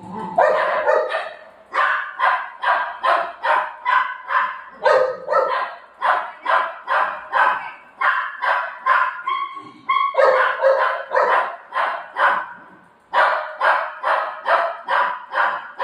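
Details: Golden Retriever named Buzo barking after its ice cream was eaten, loud sharp barks repeated about twice a second in steady runs with brief pauses, one short whining note midway.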